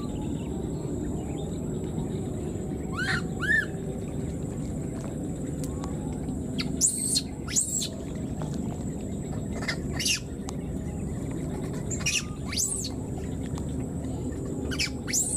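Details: Newborn wild monkey separated from its mother calls repeatedly: a couple of soft arched cries at first, then a series of shrill, steeply bending screeches spaced a second or two apart over steady outdoor noise.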